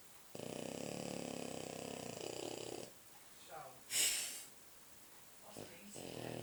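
A French Bulldog gives a loud, raspy snore lasting a couple of seconds, thick and buzzing through the nose and throat. Softer snorts and a sharp hissing breath follow before the rasping starts again.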